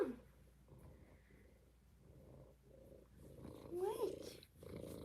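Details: Kitten purring in an indoor cuddle room, a steady low rhythmic rumble pulsing in regular bursts, with a woman's voice chatting over the last second.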